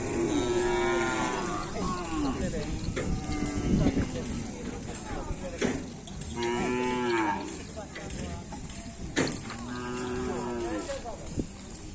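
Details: Bull race cattle training at the Asemanis field in Pamekasan before a kerapan sapi event give three separate long, harmonic moos, each about a second, spaced several seconds apart, among knocks and distant voices.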